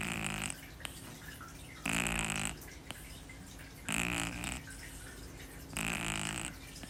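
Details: Kitten named Shii-chan fast asleep, snoring loudly in a rhythmic pattern: four broad rasping breaths about every two seconds, separated by quieter pauses, while another cat, Puu-chan, sleeps silently beside her.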